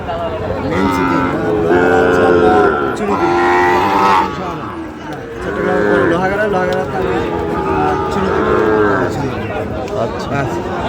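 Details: Sahiwal bull calves, about seven months old, at a cattle market where Chittagong farmers buy stock, Bangladesh, 31 October 2025. Several drawn-out, harmonic moos rise and fall over steady market chatter and men's voices.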